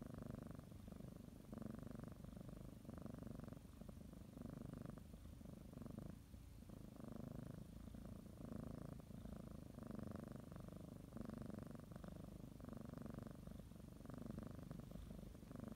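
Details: Purring domestic cat settling for a morning nap, biting and kneading a blanket; deep rhythmic rumble pulsing with each breath, about one cycle per second, with a brief lull near the middle.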